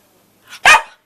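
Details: Pippa, a female Australian Cattle Dog who recently found her voice, barks on a hand cue during a training session on March 29th 2012. A soft lead-in sound is followed by a single sharp, loud bark.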